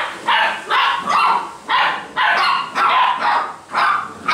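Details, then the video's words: Basset Hound puppies kept at a Brazilian kennel yapping steadily, roughly two sharp, high barks each second for the whole four seconds. "BASSET HOUND filhotes"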